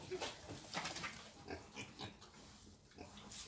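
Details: Wild boar being taken for mating: a quick series of short rough grunts, roughly two each second, fairly faint, with voices talking in the background.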